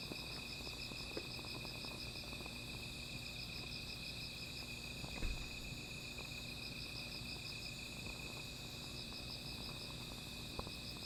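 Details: Nighttime insect chorus by a small fire: a constant high ringing tone under a faster pulsing, beaded trill, with occasional crackles and one louder pop midway.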